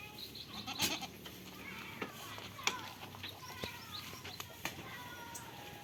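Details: On a farm, goats playing and eating give quavering bleats among sharp clicks and rustles, with faint voices in the background.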